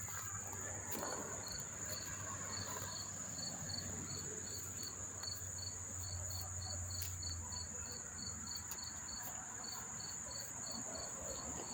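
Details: Close-up crickets near Monmouth Park Racetrack, New Jersey, September 4, 2023: a continuous high-pitched trill runs underneath while a separate cricket repeats short, bright chirps about twice a second, steady and evenly spaced throughout.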